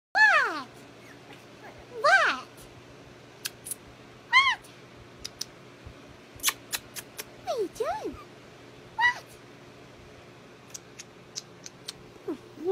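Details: Yorkshire terrier puppy, a puppy mill survivor named Scrappy Doo, giving high whimpering whines that sweep downward, about five spread over twelve seconds, with light clicks and taps between them indoors.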